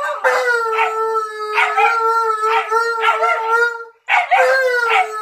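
A husky puppy howls alongside a malamute, one long steady note under wavering, yodelling cries.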